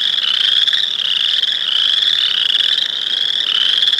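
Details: Boreal chorus frogs calling in a dense chorus, overlapping high rasping trills merged into a continuous buzzing drone that rises and falls slightly over four seconds.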